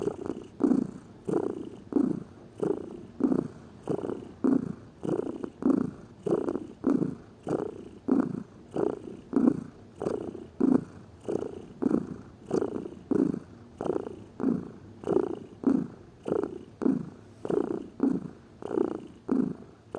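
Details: A lazy house cat purrs continuously for twenty seconds, its deep rumbling pulses arriving in a steady breathing rhythm about every 0.6 seconds, even in loudness throughout.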